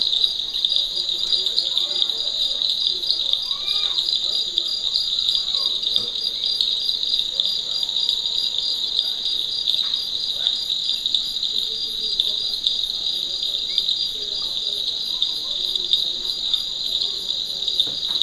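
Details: Small insects calling continuously at night in Aritar, East Sikkim, India, said to call before rain as the monsoon arrives; a steady, unbroken high-pitched shrill drone with faint pulsing, plus soft background sounds.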